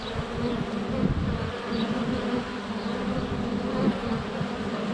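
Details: Swarming honey bees fly around the hive entrance in February sunshine, filmed with a GoPro under a foot away; continuous droning buzz with wavering pitch bands, a few faint bird chirps in the background.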